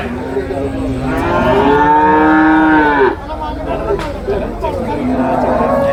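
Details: Young domestic water buffalo calves at a livestock market in Payyanad, Manjeri, Kerala, India, early morning. A long harmonic moo swells and falls, followed by a second rising call, with a busy crowd murmuring behind.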